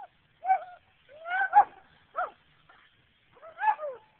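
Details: Sara, a pet German Shepherd, gives four short whining yelps with rising and falling tonal pitch, spaced about a second apart, in an otherwise quiet setting.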